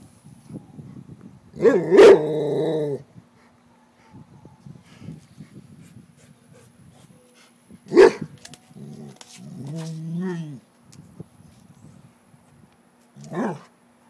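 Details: Female Rottweiler barking at a frog, which she dislikes: loud single deep barks with rich harmonics near the start, another around the eighth second and a last one at the end, with a woman speaking quietly between them.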